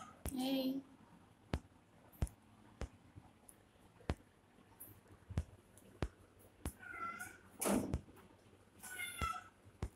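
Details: Young kittens play-fighting together; a few thin, wavering meows and a squeal break out between frequent sharp clicks and taps, with low background hum.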